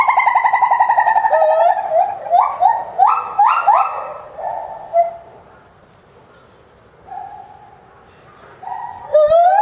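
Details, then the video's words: A Bornean white-bearded gibbon at a zoo in January 2011, calling intensely while leaping about, gives loud, clear hooting notes that climb into a run of rising whoops. "啼きまくるボルネオテナガザルBornean white-bearded gibbon Cry&Jump abuot"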